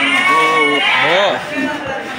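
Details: Goat at Sagorika goat market in 2024 giving a steady, nasal bleat that bends upward and falls at the end, followed by a softer call and surrounding market voices.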